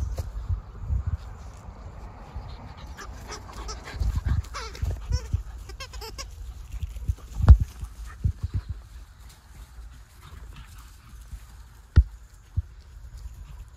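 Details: Fourteen-week-old English Labrador Retriever pups of Jazzy and Gator let out a burst of thin, high whimpering yelps for a couple of seconds, then fall quieter, with heavy knocks and low rumbling handling sounds throughout.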